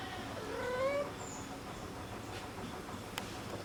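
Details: Baby kittens meowing with their mother cat: a short, thin, rising kitten mew near the start, then quiet room noise with a brief high squeak and a faint click.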